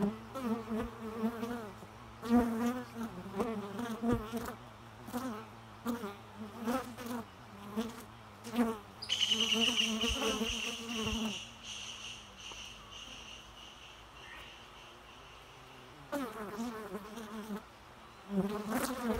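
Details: Bee buzzing in repeated wavering bursts, a droning hum that rises and falls as it passes close by; a brief high whistled tone joins midway, then the buzzing returns near the end.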